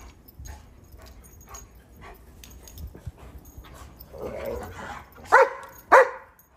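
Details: German Shepherds playing in the snow during a cold, icy Chicago winter, with a Rhodesian Ridgeback, chasing each other; quiet rustling, then two sharp barks close together near the end.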